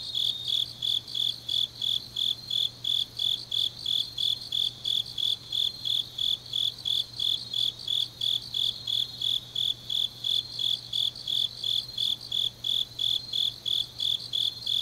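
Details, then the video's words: Grass insects calling through a deep autumn night in Changnyeong, Korea; a continuous chorus of high trilled pulses repeating roughly three per second, with overlapping singers shimmering above and a faint low steady hum. "깊은밤 가을 풀벌레 소리"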